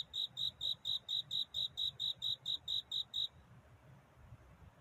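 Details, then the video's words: A cricket's courtship song on a quiet night. A run of about thirteen shrill, even chirps comes at a steady fast pace and then stops, leaving a soft low background rumble. "편안한 잠을 부르는 귀뚜라미 울음소리. 슬퍼 말아요 우는 것이 아니라 사랑을 찾는 노래랍니다"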